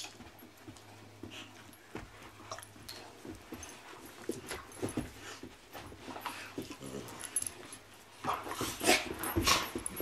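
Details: Two puppies playing together; short yips, whimpers and scuffling bursts come irregularly, growing louder and denser toward the end.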